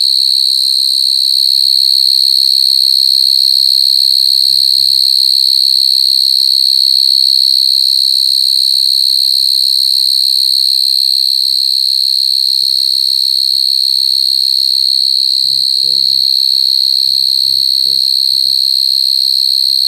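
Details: A chorus of coconut crickets producing a constant, sharp, high buzzing tone, pulsing rapidly and evenly throughout, with a few faint low knocks and murmurs in the background.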